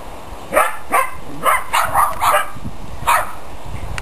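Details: Dogs playing: a quick series of about seven sharp, bright barks, mostly close together in the first two seconds and then a final one, over steady low background noise.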